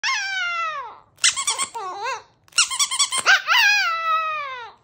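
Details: Two Chihuahuas howl together: high, thin howls slide downward, broken by quick wavering yips before a final long falling wail.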